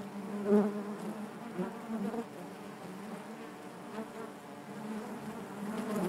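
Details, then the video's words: Honey bees buzzing inside their hive: a steady low drone with layered harmonics, swelling briefly near the half-second mark, then a dense, even hum with small fluctuations throughout. "bees therapy hive natural buzzing sound"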